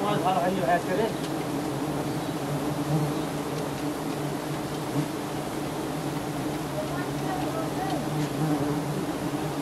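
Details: A giant honey bee colony in Thailand, disturbed as honey hunters harvest its lofty nest, produces an unbroken humming drone, thick and even, with murmured speech faintly underneath.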